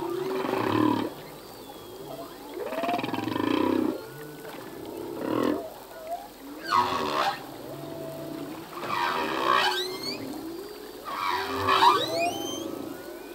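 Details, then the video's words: Male humpback whale singing in the ocean, part of a full-length song that changes each year: low groaning units around the opening, then bright rising harmonic cries with upswept whistles near seven, nine and twelve seconds. "Whale song - full length humpback whale song"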